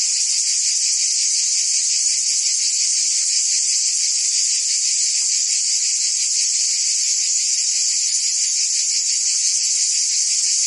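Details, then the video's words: Summer cicadas in Provence, France, singing together as one continuous, piercing, sizzling buzz with quick rhythmic throbbing and an even level from start to finish. Nothing else can be heard. "Cicadas singing in France (Provence)"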